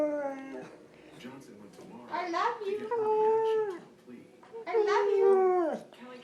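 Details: Part husky, part Malamute dog doing a lot of talking indoors: drawn-out, wavering howl-like vocal tones in three bursts, some sliding downward, with quiet pauses between.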